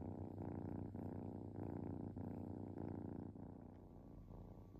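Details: Relaxing kitten purring steadily: a low, rumbling pulsed drone with the rough texture rising and easing in breath cycles about every half to one second, indoors with nothing else clearly heard.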